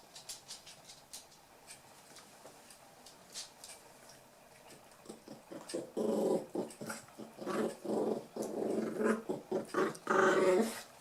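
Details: Toy poodle puppies aged eight weeks, Tami's last litter, romp together; quiet tapping gives way to a loud run of harsh, repeated growls and snarls in rapid bursts, building toward the end.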